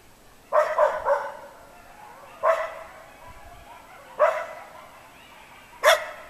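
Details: Coyotes close by, reacting to the noon fire hall siren in town as they do daily. Four short bursts of high yipping and yowling come roughly every two seconds, with near quiet in the gaps.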